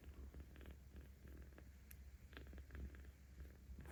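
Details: Seventeen-day-old kitten Aochan, cared for by cat volunteers in Tama City, Tokyo, filmed 10 October 2022, purring louder while being petted: a steady low rumbling drone with soft pulsing texture and faint rustles indoors.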